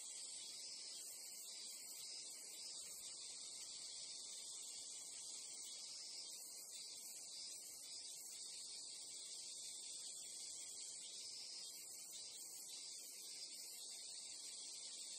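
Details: Japanese crickets or cicadas in a nature ambience: a dense, unbroken high-pitched shrill drone, steady throughout, with faint softer rustling noise underneath and no other clear sounds.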